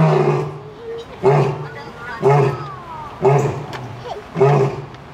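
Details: A lion at Zoo Atlanta, recorded 25 October 2022, gives a series of deep, grunting roars, roughly one per second.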